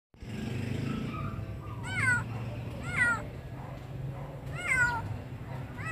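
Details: Stray kitten wandering the streets, giving four short high meows, each a bending, arched cry roughly a second apart, over a steady low rumble of traffic.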